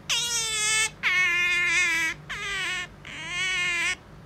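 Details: Pet otter noisily demanding to be stroked: four loud, strained, whining cries, each close to a second long, bright and rich in overtones, separated by short pauses.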